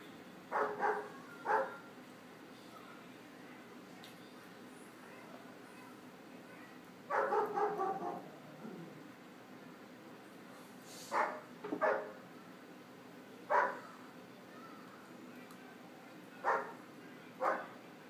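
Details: German Shepherd puppy indoors barking at a motionless cat through a patio door; short sharp barks in clusters, a double bark near the start, a longer burst around seven seconds, then single barks spaced a second or two apart over quiet room tone.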